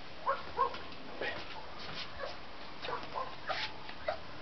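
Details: A 26-day-old Bull Terrier puppy gives short, thin whimpers and squeaks at irregular intervals.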